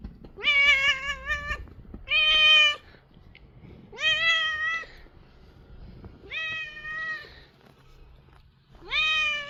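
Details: Korean shorthair house cat making strange sounds while being massaged; five drawn-out, tonal meows with rich harmonics, each about a second long, some slightly wavering, spaced roughly two seconds apart in a quiet indoor room.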